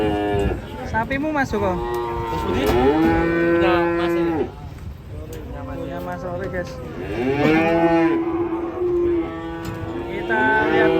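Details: Indonesian fat cattle said to be raging give repeated long, deep, harmonic moos, each swelling and holding a steady tone for about two seconds, overlapping one another with little pause; faint background noise throughout.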